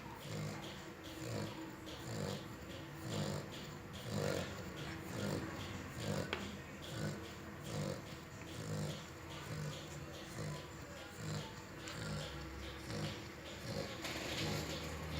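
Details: Young French Bulldog, under a year old, sleeping inside a truck, giving light snores: soft low rasping breaths repeating at an uneven pace over steady background hum.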